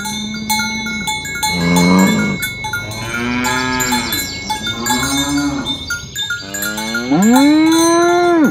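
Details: Tame village cows herded along village roads toward the pen in the morning, mooing to call companions to gather: several overlapping moos, some long and steady, one swelling and rising at the end, with cowbells ringing steadily throughout.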